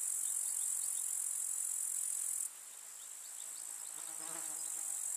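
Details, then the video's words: Grasshoppers in a summer village meadow make a loud high sizzling trill that suddenly quietens halfway. A low droning fly buzz passes briefly near the end. "КУЗНЕЧИКИ. Слушать звуки летнего луга"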